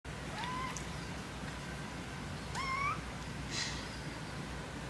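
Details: A cat from a cat family gives three short rising meows, near the start, middle and end, the middle one longest with a clear upward slide, over a steady low background hum.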